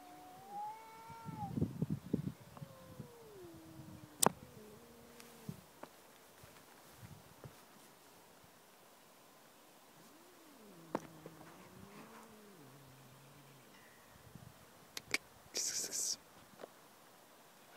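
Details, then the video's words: Talking domestic cats give a series of lower, wavering meows that bend up and down, in two bursts with quiet between, mixed with sharp clicks and handling noises. "Talking cats"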